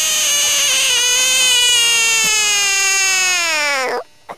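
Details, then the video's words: A screaming frog lets out one long, strained, high harmonic cry that slowly falls in pitch over about four seconds and then cuts off abruptly, followed by a faint click. "11 Minutes Of Screaming Frogs Compliation"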